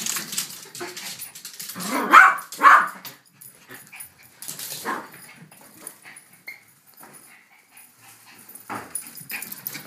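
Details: Two dogs together, a Yorkshire Terrier and a King Charles Spaniel, one of them barking. Two sharp, loud barks come about half a second apart, followed by quieter rustling and small sounds indoors.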